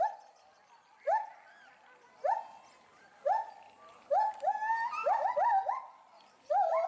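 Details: Agitated agile gibbon couple, captive at Bristol Zoo Gardens, UK, reacting loudly to something in the bulrushes beneath them. Rising whoops come about once a second and then crowd together into a rapid, overlapping run of upswept hoots.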